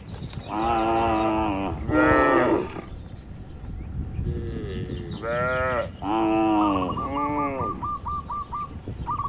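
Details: Tame, healthy cattle mooing inside a farm barn: about five long, drawn-out harmonic moos, some rising then falling, with short pauses between them. A thin repeated chirping tone follows near the end over steady barn background noise.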